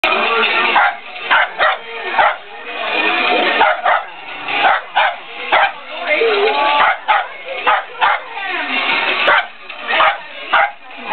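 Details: Peanut, a pet dog, barking excitedly at a toy car: rapid, harsh bark bursts in quick irregular succession, almost continuous at times, with brief gaps between volleys and voices possibly in the background.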